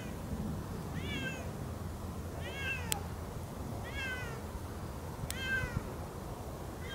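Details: Siamese cats Otani and Yozora on an off-leash hike through a meadow; four clear descending meows spaced about 1.5 seconds apart, with two sharp clicks and steady low outdoor rumble underneath.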